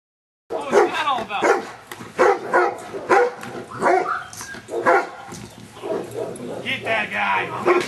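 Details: Luther, a Giant Schnauzer, during Schutzhund stick hit work on 4/25/09, being trained to accept stick hits; loud, harsh barks come in short bursts about every three quarters of a second, mixed with a man's voice.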